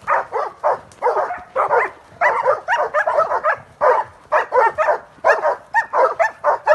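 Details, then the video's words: Transylvanian hound in training on wild boar, giving strings of harsh, clustered barks and yelps in quick bursts, some doubled, with short gaps between groups. "Copoi Ardelenesc antrenament la mistreţ!"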